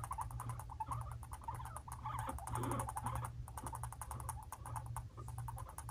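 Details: Pet guinea pigs Fluffy and Cocoa, young brothers five months old, in a scuffle: fast, regular clicking chatter runs throughout, mixed with squeaky cries, a steady low hum beneath.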